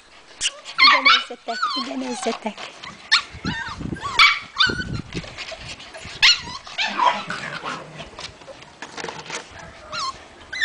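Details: White Puli dogs at a kennel in Salgótarján, Hungary, giving high, wavering yelps and whines in quick overlapping bursts, several voices rising and falling in pitch, with human speech heard among them.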